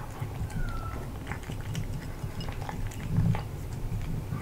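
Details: A male British Shorthair cat eats crispy freeze-dried chicken breast from a new glass bowl, with steady soft crunches and clicks close up.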